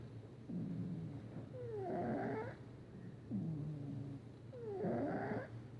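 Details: Sleeping house cat named Patches snores loudly: a soft low inhale followed by a louder, nasal, whistling exhale, repeating roughly every three seconds over a constant low background drone.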